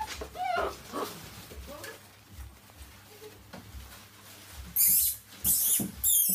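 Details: Rhodesian Ridgeback puppies from a litter of 12, six weeks old, playing wildly: brief harmonic yelps and whines in the first two seconds, then loud shrill high-pitched squeal bursts near the end over scuffling noises.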